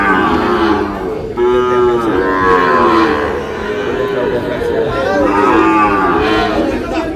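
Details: Several moos from Sahiwal bull calves in Noakhali, Bangladesh, each a rich harmonic bawl of about a second that arches up and then falls, coming in quick succession over background chatter.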